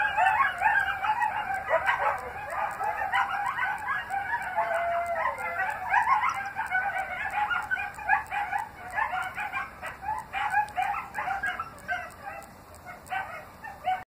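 Coyotes howling together, a dense chorus of wavering howls and quick high yips.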